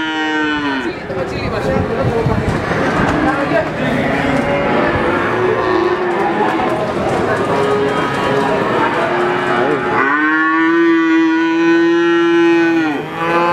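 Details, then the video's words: Calves calling in a crowded chorus of overlapping moos that blur into a dense din, then one clear, long, level bawl rises above the rest toward the end. "SUARA ANAK SAPI LUCU"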